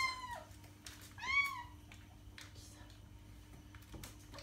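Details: {'text': "Cat giving two short meows, the second rising then falling, followed by a few faint chirps and a soft thud against a constant background hum; intended to draw cats' attention."}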